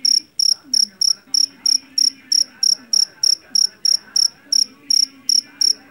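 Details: Javanese field cricket (jangkrik jeliteng) caught in a rice field, loud shrill chirps in short pulsed bursts repeated about three times per second, steady rhythm, faint low murmur beneath.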